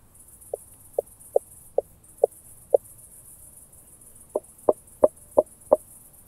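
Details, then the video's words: Southern Oak Bush-cricket, Starnberg, Germany, 7 August 2023, through a Pettersson D 100 ultrasound detector: six quick ticks about half a second apart, a pause, then a louder burst of five taps. "Meconema meridionale -- Südliche Eichenschrecke -- Southern Oak Bush-cricket"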